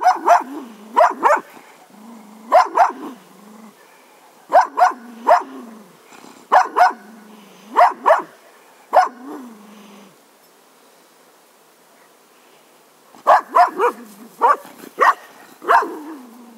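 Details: Cocker Spaniel barking grumpily in rapid runs of two to three sharp barks, pausing briefly between groups, falling silent for a few seconds, then resuming with a fast volley.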